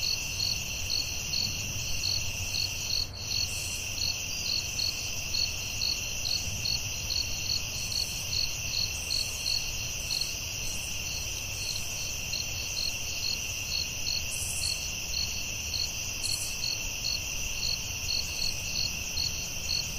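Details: Steady nighttime cricket chorus in the forest, high continuous trilling with rapid rhythmic chirps throughout, occasional brief higher buzzes and a single soft click, faint low ambient rumble.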